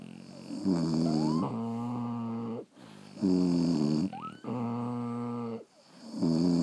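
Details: French Bulldogs sleeping at home give loud, tonal, vibrating snores roughly every two seconds, each inhale buzzing and drawn out, with a short rising whistle slipping in between breaths.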